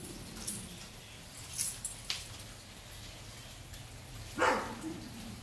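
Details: A pet monkey on a porch hears the neighbours' big dogs barking and gets worried: one neighbour's dog gives a single short, deep, gruff bark from a distance, preceded by faint clicks and soft background hiss.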